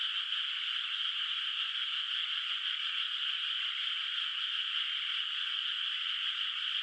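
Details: Frogs calling in the distance over an unplanted rice field lit by the moon at night in the countryside; a constant, dense high trill keeps an even level from start to finish.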